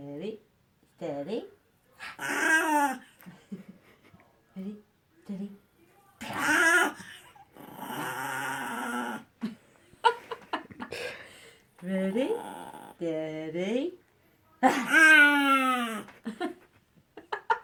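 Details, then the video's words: Young dog, a puppy, producing baby-like noises in a small room: bending, squeaky whines, short yips and raspy growling moans in irregular bursts separated by brief silences. "puppy making baby noises"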